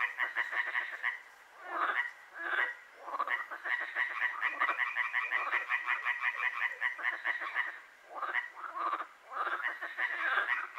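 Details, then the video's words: Chorus of frogs at night in Hłomcza, Sanok commune, Poland, with rapid, rattling trains of croaks several seconds long separated by short quieter gaps, many callers overlapping. "Rechot żab"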